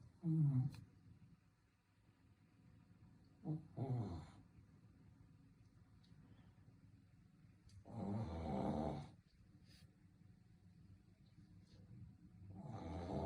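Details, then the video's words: A sleeping Shih Tzu snores in irregular bursts, short rough snorts then a longer rasping snore near the middle and another building at the end, separated by quiet breathing. "코골이 하는 시츄"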